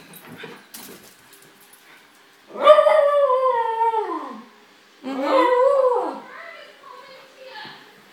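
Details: Pet dog, excited as its owner comes home, indoors, gives two long, drawn-out whining cries, each about a second and a half, sliding downward in pitch, with soft human voices between them.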